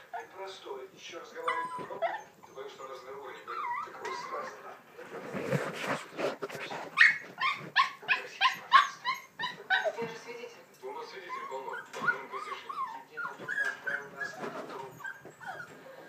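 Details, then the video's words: Several Scottish Terrier puppies yelp and whine together in a dense, overlapping chorus of high, rising and falling cries, with a burst of rapid pulsed yelps in the middle. "Young singers Scotty"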